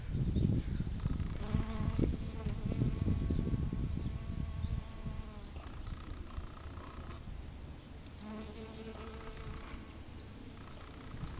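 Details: Honey bees foraging on flowering plants in San Diego, California, on a sunny day; a loud, rough buzzing in the first seconds as a bee hovers near, then fading to a softer, even hum.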